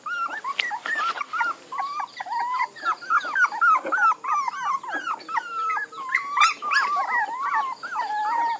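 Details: Puppies whining in a busy chorus, many thin, wavering mid-pitched whimpers overlapping and bending up and down, several each second without a steady rhythm.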